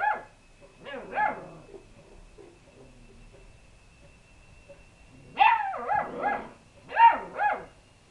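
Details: Lurcher cross puppies getting brave with an unbothered cat, giving high yappy barks and yips in two bursts, three calls near the start, then after a quiet gap three louder rising-falling barks, with a faint steady tone behind.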